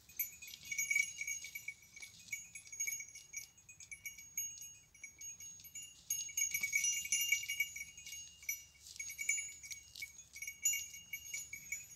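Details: Goats roam outdoors, but only high jingling bells ring steadily throughout over faint low rustle, with no bleating heard.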